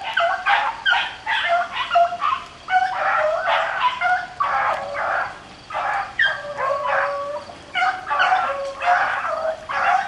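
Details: Several beagles on a rabbit hunt in the rain give continuous pack baying, rapid overlapping yelps and drawn bawls with clear harmonics, barely a gap across the stretch, rain patter in the background.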